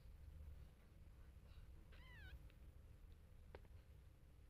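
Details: Domestic cat, a mother leaving her kittens alone to rest: one short, faint meow near the two-second mark with a bent, arching tone, set against steady low indoor rumble and a few soft clicks.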